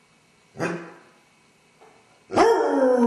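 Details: A Basset Hound left alone in the house with separation anxiety, pacing, gives a short yelp, then launches into a mournful, sustained howl.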